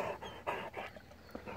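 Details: Great Dane, seemingly named Otis, tired and struggling: hoarse panting breaths, strong at first and then fading into quieter, more uneven puffs.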